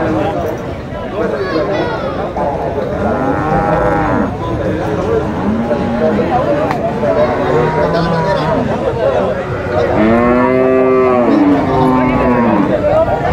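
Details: Bulls penned at a cattle market in Nueva Guadalupe, El Salvador, giving overlapping arched moos. Louder, richer bellows build near the end amid a low background of people's chatter.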